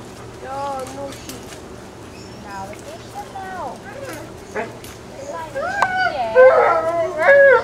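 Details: Alaskan Malamute pups, 26 days old, from Ciqala's litter at the Sakima Kiwidinok kennel, recorded 20 September 2009: several high, wavering whines that bend up and down in pitch, overlapping and growing louder and busier toward the end over a steady low hum.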